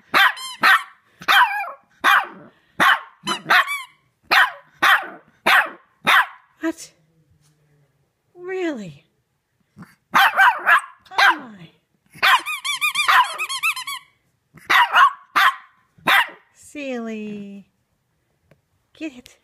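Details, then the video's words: A three-month-old female Shih Tzu puppy howls at her squeaky toy, a first for her with it. Long runs of rapid, rough, bark-like howls, broken by high toy squeaks, falling whines and a woman speaking. "Shih Tzu Puppy Howls Like a Wolf"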